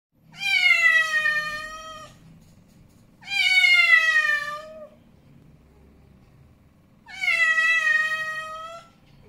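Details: Snowy, an angry male domestic cat, gives three drawn-out, strained yowls of about two seconds each, harmonically rich and slightly falling, separated by short quiet gaps in an indoor room.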